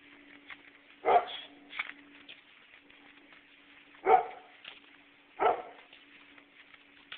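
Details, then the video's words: In Nesher, Israel, during an evening walk, a dog lets out three separate barks spread over several seconds, each sharp and short, plus a softer half-bark, against a quiet steady hum. "evening walk, dog barking"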